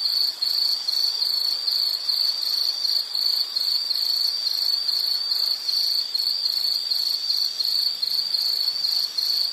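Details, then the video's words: Insect trilling continuously at a high pitch in a calming nature-sound recording for study and sleep, evenly pulsed chirps repeating several times a second with occasional short softer moments. "Nature Sound of nature sounds scenery L · insect"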